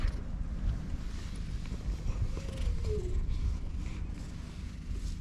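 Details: Stray cat on a cat island, petted until it lets its belly be touched, purring as a steady low rumble throughout, with one short soft tonal sound midway and faint rustling in the background.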